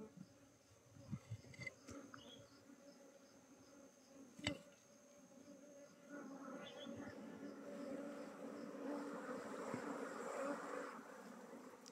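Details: Bees buzzing during transfer from a log hive to a modern box hive. A low hum sits under broad rustling and handling noise, and the noise grows louder in the second half.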